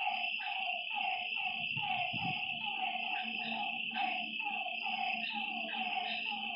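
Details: Frogs calling at night beside a lake: a dense chorus of short, downward-sliding croaks repeated about twice a second by several callers, over a steady high insect-like drone.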